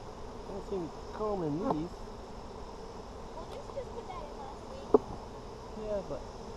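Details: During a brood check of an Apimaye hive on July 23, 2020, honey bees buzz past in short wavering, rising-and-falling drones over a soft background hum, with one sharp click.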